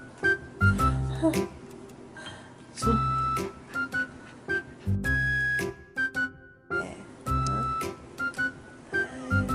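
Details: Organ-like music with bursts of speech and strong low thumps fills the whole stretch, with no dog sounds audible.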